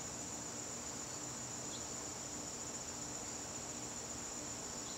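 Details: Crickets in a garden on a September evening: a steady, high, shimmering trill holds without a break, with a faint hiss beneath and one brief higher chirp.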